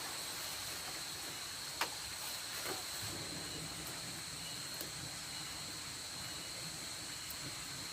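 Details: Nocturnal insects around a rice field hut at night, a steady unbroken high-pitched drone holding two even tones over a soft background hiss, with a few faint clicks and taps scattered through.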